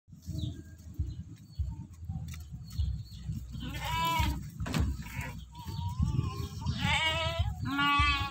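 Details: Sheep being fed in a village at Galang: several wavering, nasal bleats rise out of the second half, the last two close together, over a steady low rumble and handling noise.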